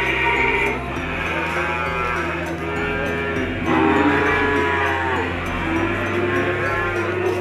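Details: Feeder cattle of the PO type, for sale in Indonesia, mooing in several curved, rising-then-falling lows one after another, accompanied throughout by background music.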